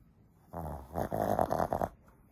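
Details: A small female Shih Tzu snores loudly while asleep, a rattling, throaty rasp with a fluttering, nasal buzz.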